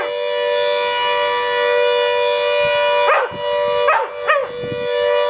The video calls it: Howling dog (Tia)